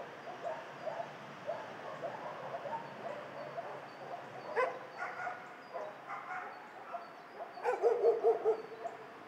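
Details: Many dogs in a shelter: distant overlapping barks and yips throughout, with a closer burst of rapid barks near the end over steady kennel hum.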